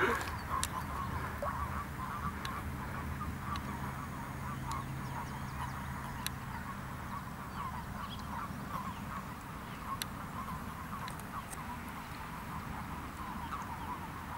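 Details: A February 2012 gathering of frogs and toads at a village pond, hundreds at the surface, keeps up a steady murmuring mass of low croaks with occasional sharp clicks and low background rumble.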